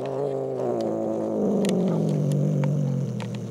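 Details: Domestic cat Jinxie, hiding under a chair and being pulled out, lets out a long, low, throaty growl. The growl slowly slides downward in pitch, with a few faint clicks behind it.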